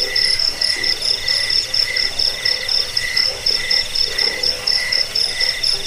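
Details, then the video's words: Crickets (jangkik) in a recording meant for scaring rats, lulling to sleep and bird training; bright, rapid chirp trains overlap at high pitches, evenly repeated across the whole short stretch. "Suara jangkik pengusir tikus pengantar tidur"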